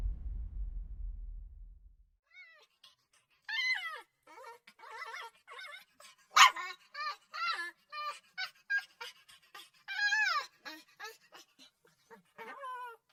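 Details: Puppy crying in a series of high, wavering whimpers and whines, each sliding down in pitch, coming in short bursts separated by brief pauses, with a low rumble only in the first two seconds.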